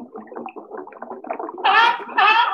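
A seal gives low, rapid grunting pulses, then two loud, harsh, bawling cries.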